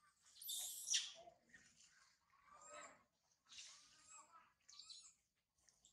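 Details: Baby monkey Sario, left by mother Sarah, crying high in a tree: a hissy broadband scream opens, followed by short, wavering, harmonic whimpers with silent gaps between them.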